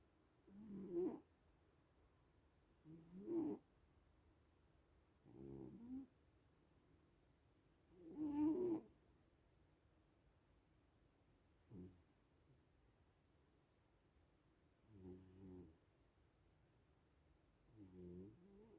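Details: Little cats asleep and snoring, about eight short nasal rasps in a row, each a low buzzy purr-like breath arriving every two to three seconds in a quiet room.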